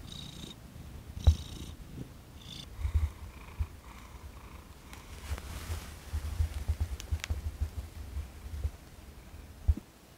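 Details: Thomas, a domestic cat, purring while being massaged on December 6, 2021, after 18 days together with gradually expanded gentle touch. A deep, steady low rumble pulses on and off, with brief soft rustles and clicks from handling.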